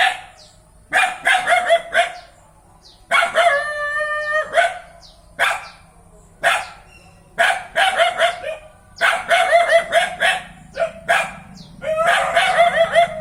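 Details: Dog barking in quick clusters of sharp, harmonic barks separated by short pauses, with a drawn-out, steady whine-like cry near four seconds and a low hum underneath throughout.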